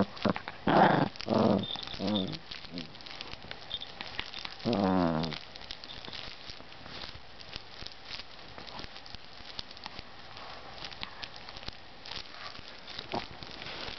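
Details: Mimi, a Pomeranian Chihuahua mix (Pomchi), playing before sleepy time: two short bouts of low, throaty growling near the start, then a longer rumbling growl around five seconds, followed by quiet rustling and shuffling.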